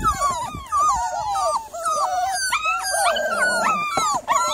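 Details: Loud, harmonically rich whines and moaning wails from a Miniature Labradoodle on the evening of 3 July. The cries swoop up and down in quick succession, with a brief low growl-like rumble midway.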